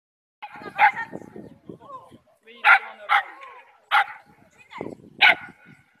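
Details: Border Collie at an agility pass test with the Tactichien club, 8 April 2017: five sharp, loud barks come at uneven intervals, mixed in with French speech from people around the course.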